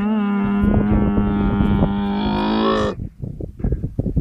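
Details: A camel, a calf with its mother, gives a long, steady, moaning call, followed by rustling and shuffling.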